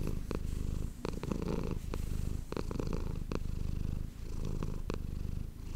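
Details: Close-miked purring from Manis, a domestic cat, recorded for ASMR: a deep, even rumble rising and falling in rhythmic breath cycles, with scattered soft ticking noises.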